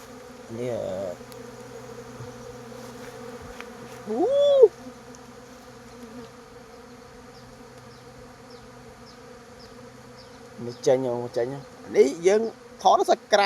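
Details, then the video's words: Kept bees starting to work hard near dawn, leaving the hive to forage. A steady, low, even droning hum with stacked tones runs through most of the recording. A man speaks briefly near the start and again toward the end. "ឃ្មុំចាប់ផ្ដើមធ្វើការខ្លាំង នៅពេលជិតភ្លឺ"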